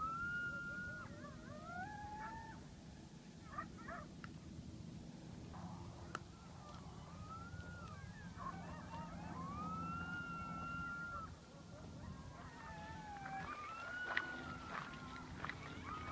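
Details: Coyotes howling: several wavering, gliding tonal wails that overlap and rise and fall, with short breaks between them, over a steady low rumble of background noise.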